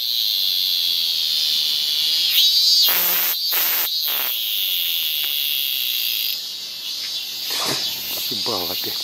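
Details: A bright green cicada sings early on the morning of 15 August 2014, then flies off: a steady, shrill, high buzzing drone held throughout, broken by a few short broadband bursts near three seconds and again toward the end.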